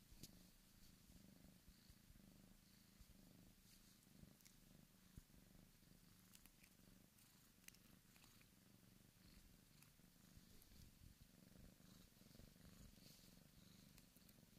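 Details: Purring of Dan, a Bengal kitten born 14 August 2015 at the Sunspot Charm cattery: a quiet, continuous low rumble with even rhythmic pulses, dotted with faint clicks and light handling noise.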